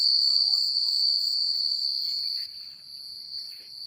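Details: Night crickets in a quiet rural setting give a continuous, piercing high trill. It is loud for the first two and a half seconds, then drops softer, with a few faint low notes early on.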